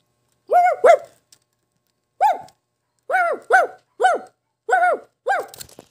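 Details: A Shih Tzu gives sharp, mid-pitched barks, singly and in pairs, with short pauses between.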